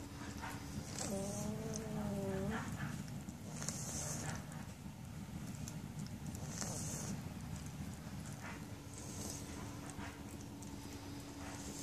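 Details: German Shepherd puppies, 16 days old: a single drawn-out wavering whine of about a second and a half with a slight dip, followed by rustling, shuffling and a steady low hum.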